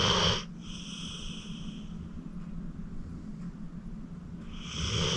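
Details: Acorn, an elderly rescued pit bull of 14, deeply asleep: a short whistling snore opens, followed by four seconds of low, quiet breathing, then another raspy wheezing snore begins.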